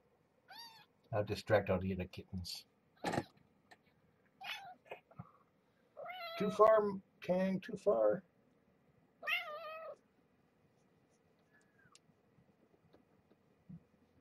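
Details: Mother cat Marge, a former pregnant stray now at Purrfect Pals, with her growing kittens at morning feeding indoors; scattered short arched meows mixed with human talking in a quiet room.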